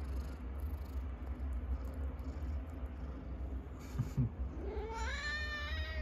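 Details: Domestic cat fighting at home, pinning another cat down; after four seconds of quiet background hum a long rising, drawn-out yowl begins and climbs in pitch toward the end, with a faint thump just before.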